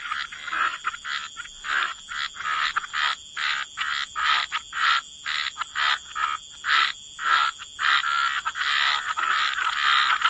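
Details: Croaking frogs in a waterside wetland chorus; rough, buzzy croaks follow one another almost twice per second, some overlapping, with brief pauses between them.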